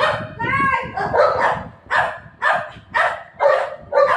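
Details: Play-fight between golden retriever Buzo and shih tzu puppy Milo: a brief whining, tonal growl, then rapid, evenly spaced sharp barks roughly twice a second.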